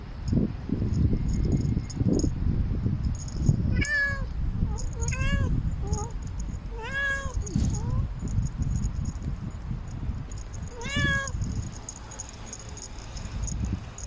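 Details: A usually quiet pet cat roaming a city wall and calling for love gives a string of short and longer arched meows, some close together, others spaced several seconds apart, against continuous low-pitched background noise.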